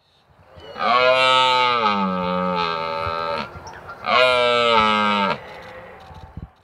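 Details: A red deer stag bellows during the October rut at the Royal Parks, London, asserting his position for mating rights over a harem and warding off rival males: two long, deep, resonant roars.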